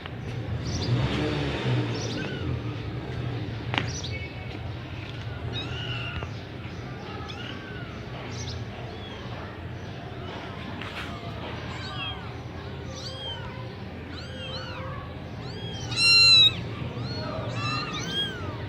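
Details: Gujranwala Persian kittens of semi-punch type start quietly, then grow busier, with clusters of brief, high, arched mews toward the end over a continuous low hum and a sharp knock.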